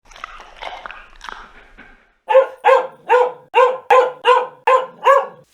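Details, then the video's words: A dog barking: about two seconds of softer, rougher yelping, then eight loud, evenly spaced barks roughly three a second, each with a clear low-pitched core. "Dog Sounds"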